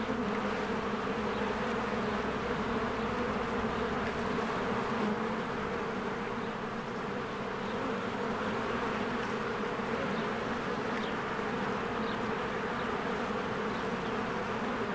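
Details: Honeybees in spring flying diligently in and out of their hive; a dense droning hum of countless wings holds steady, dipping slightly midway, with occasional faint bird chirps high above.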